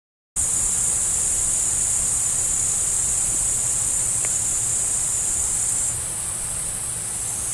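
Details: Crickets chirp in a steady, high-pitched chorus that runs on without pause, with a roe deer present.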